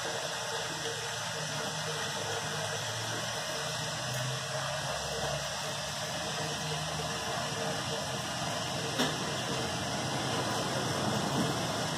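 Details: Steady mechanical hum, like a fan or engine, fills a small indoor room, with faint low speech and no animal voice heard.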